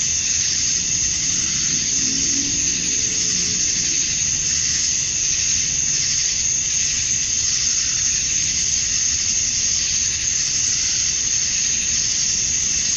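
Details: Male cicadas calling to attract females at dusk on a summer night in Georgia, USA, form a steady, dense, high-pitched hissing drone with a bright, shimmering top band that never breaks. Faint low rumbling sits underneath.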